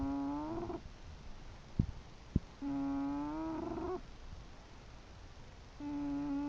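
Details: English bulldog named Chester snoring: drawn-out, humming, tonal snores lasting about a second, each ending on a slight upward bend, returning roughly every three seconds with quiet breathing and two sharp clicks between.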